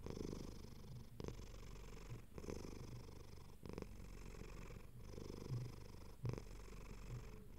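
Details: Pet cat resting comfortably and purring, a deep continuous rumble pulsing in breath cycles of about a second, each separated by a brief gap as the cat switches between breathing in and out.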